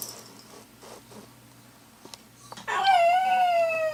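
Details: Pet dog howling while its owner is away: after a near-silent start, a single sustained, tonal howl with rich harmonics begins abruptly, then slowly wavers and sinks in pitch over the final second and a half.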